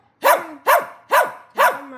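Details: Puppy asking for help: four short, high, yelping barks, each rising then falling, spaced about half a second apart, with a faint steady whine-like tone between and after them.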